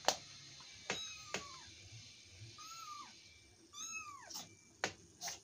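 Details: Domestic cat, described as cute and affectionate, giving three clear drawn-out meows that rise then fall, spaced about a second apart, with sharp clicks and taps between them.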